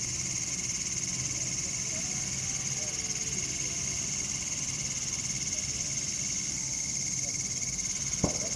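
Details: Cicadas in a bamboo forest in India, October 2019, singing on a cool evening or night, keep up an unbroken shrill buzz with a thinner lower tone, over a soft rumble, with one sharp knock near the end.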